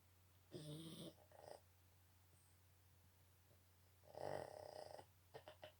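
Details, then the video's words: Boston Terrier snoring: two loud, rasping snores about three and a half seconds apart, each with a short follow-up snort, over a quiet indoor hum. "Boston Terriers big snore."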